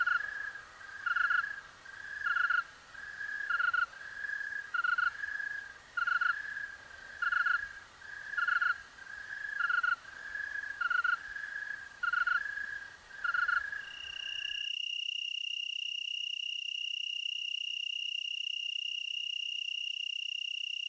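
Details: Tree cricket chorus from the Willamette Valley, Oregon: rhythmic pulsed chirps recurring about every 1.2 seconds for most of the recording, then abruptly replaced by a single steady, pure high trill.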